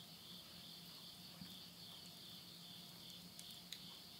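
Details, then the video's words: Insects heard at midnight in September 2020, end of summer, in the Tottori countryside of Japan (Yurihama town). The high, continuous, ringing chorus stays even throughout, with a few soft snaps from wood burning in a stove. "the voice of insects"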